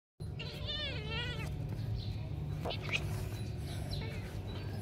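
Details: Cat in a funny pet compilation gives one drawn-out, wavering meow lasting about a second, followed by quieter clicks, knocks and faint voices over a steady low hum.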